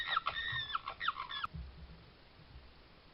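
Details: Short burst of high, squealing red fox calls from a Suffolk garden trail camera, July 2022, five or six quick notes that stop abruptly, followed by quiet background hiss.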